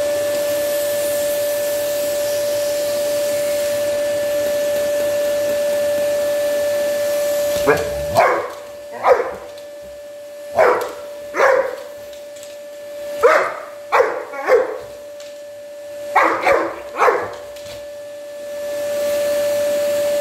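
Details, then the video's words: Samur, a 110 lb Black Labrador, barks at a vacuum cleaner, perhaps guarding his Mom against it. A steady vacuum drone runs alone at first, then about a dozen deep, loud barks come in pairs and short bursts until the motor swells again. "Big Black Labrador barks at a vacuum cleaner"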